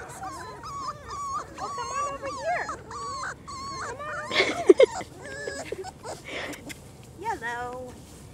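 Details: Four-week-old German Shorthaired Pointer puppies, out in the open for the first time, whine in a run of clear, tonal, slightly bending cries repeated in quick succession, then a louder burst of yelps, while people talk softly nearby.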